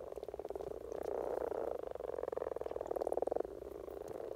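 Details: Spring courtship chorus of common frogs in Norway: dense, soft purring croaks pulsing rapidly, in overlapping rolling bursts of about a second each from several calling frogs.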